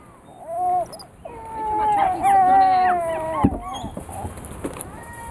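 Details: Female weeper capuchin snacking on a sugar-free almond cake gives drawn-out, whistled, slightly wavering tonal calls. Several overlap and break up into shorter notes. A person's voice and some indoor handling noise are mixed in.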